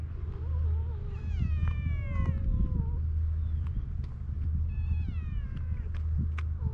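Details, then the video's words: Stray cats at an evening gathering outdoors, trading harmonic meows that rise and fall over about two seconds, a second drawn-out meow later, with a steady low engine rumble throughout. "夕方の猫の集会 野良猫たち何か会話してないか?"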